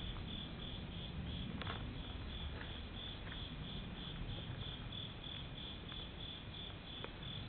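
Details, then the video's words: Summer night insect chorus at a Japanese temple: rapid, evenly spaced high chirps, roughly three per second, running without pause above a deep, continuous low rumble. "Nighttime Temple Insect and Airplane Sounds Etc 夏の夜 虫の音"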